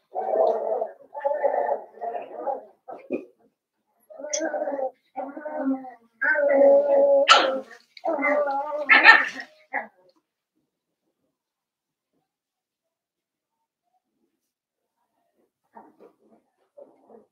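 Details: Blenheim Cavalier King Charles Spaniel puppies from a New Year's litter of five, indoors in their puppy pen, give loud gargling, growly yelps and whines in quick bursts for about ten seconds, then near silence with a few faint sounds.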